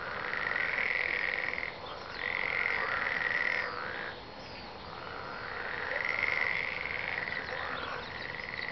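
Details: Several frogs croaking at once, rapid rattling pulses in bursts of about one and a half seconds separated by brief lulls, forming a steady chorus.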